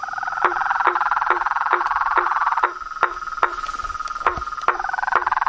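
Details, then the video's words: Frogs, toads and treefrogs in nature: a continuous ringing trill under regular knocking calls about every half second, the trill dipping briefly before returning strongly. "Os sons dos sapos , rãs e perereca na Natureza"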